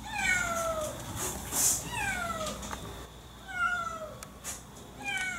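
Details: Domestic cat that had run away from home, giving drawn-out descending meows, each falling in pitch over about a second and repeated several times, with scattered clicks and faint background noise.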